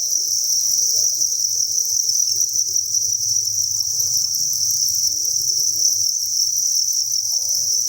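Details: Thousands of crickets chirping inside a cricket breeding farm, merging into a dense, steady high-pitched trill that never pauses, with faint low murmurs and soft knocks underneath.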